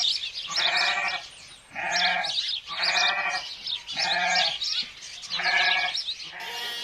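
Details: {'caption': 'Domestic sheep bleating insistently, a run of about six rough, quavering calls in quick succession with short gaps between them.'}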